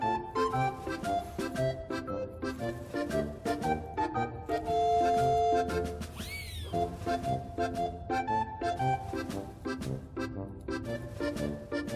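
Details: Upbeat, playful background music with organ-like tones and steady percussion fills the whole recording, with a brief sliding whistle-like effect near the middle.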